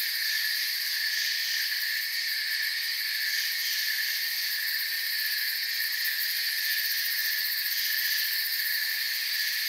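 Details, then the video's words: Soft forest ambience of many crickets chirping together, a continuous shimmering high buzz in steady layers that barely changes in loudness across the stretch. "Forest Sounds and Crickets for 10 hours"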